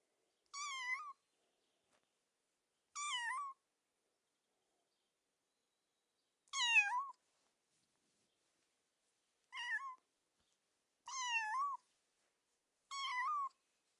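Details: Six short, clear kitten mews spread over fourteen seconds, each bright and rich in overtones with a slight falling bend, separated by silent pauses of one to three seconds.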